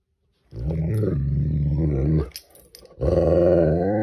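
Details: Great Dane facing off with a crayfish, giving a long, deep, sustained growling moan with steady low harmonics, a short break, then a second drawn-out tonal growl rising slightly in pitch.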